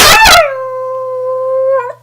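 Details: Sweetie, a female house dog, singing on command: a rough, loud onset settles into a pure, level howl held about a second and a half, closing with a small upward wobble, with a low electrical hum throughout.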